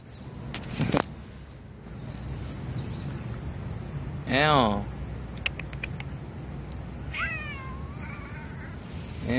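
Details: A friendly stray library cat answering when its name is called, among cats named Jin, Aeong and Jeombagi: a person's voice, sharp taps, then short descending meows repeated several times near the end.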